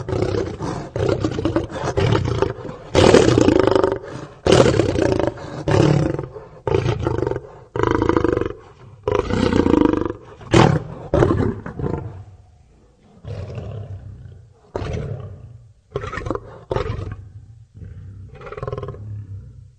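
A lion roars in deep, rasping bursts that trail off into a series of shorter grunts.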